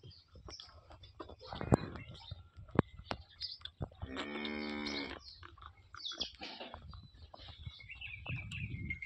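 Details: Holstein Friesian cow with six teeth, calved her second calf the previous night, in Somthane village, Sinnar, Nashik; one long, steady, harmonic moo of about two seconds mid-clip, with scattered clicks, faint bird chirps and a man talking around it.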